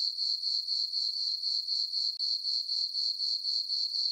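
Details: Full-moon summer night on a farm meadow, crickets sounding a bright, high, continuous chirping trill that beats steadily about four times a second, with no other sounds present.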